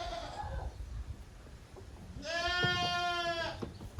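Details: Young goats romping in a farm exercise yard at Yoshigake goat farm, Japan, 30 April 2023: a short faint bleat, then a louder, steady, rich-toned bleat lasting over a second above low scuffling noise.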